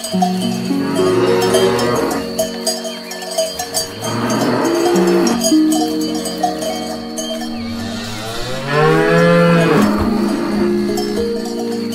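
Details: Cows grazing on grass. Several deep moos swell and fade across the stretch, some rising in pitch before dropping away, with a continuous clang of cowbells beneath.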